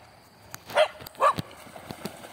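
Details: Two dogs, a mixed-breed and a Pitbull, playing fetch with a stone on Sunday; two short, loud barks close together, then quiet background.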